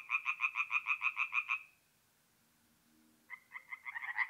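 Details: Tree frogs singing at night at a forest pond in north-east Italy in mid-April give fast, rattling bursts of bright, nasal croaks, one group answering another.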